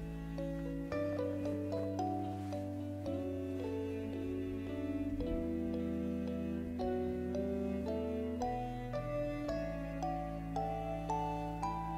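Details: Plucked and bowed string music with harp-like notes plays steadily throughout, and no animal sound is heard.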